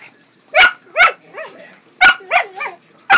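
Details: Pet pug, a female, barking while a cat attacks her wiggling tail: loud sharp barks at about half a second and one second, then whiny yelping barks with wavering pitch, another burst of barks near two seconds, and a final sharp bark.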